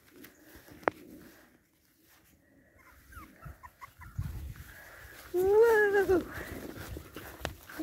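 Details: Boston Terrier puppies from one litter; a single loud, drawn-out whining cry near the end, slightly rising and then falling with rich overtones, preceded by soft rustling, handling noises and a faint human voice.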